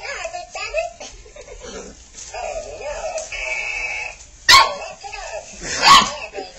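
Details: Labrador Retriever puppies, five and a half weeks old, play with a ball toy, the white pup named Spirit; two sharp, loud yapping barks burst out near the end after softer whining sounds and steady background voices.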